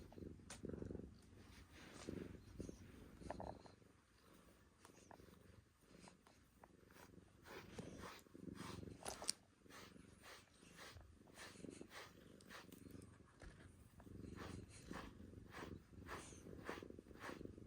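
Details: Male calico cat purring softly while being brushed indoors; a low, steady rumbling purr runs throughout, broken by scratchy brush strokes that come in quick bursts.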